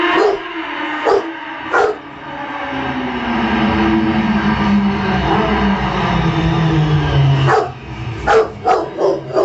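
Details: Rottweiler kept as a pet howling at a motorbike's sound: a few short yips, then a long howl gliding slowly downward, followed by more short bursts, with a low engine hum beneath.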